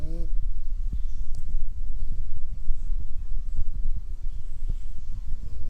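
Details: Sleeping puppy snoring: deep, low rumbling breaths in an uneven rhythm, with short tonal, harmonic snorts at the start and end.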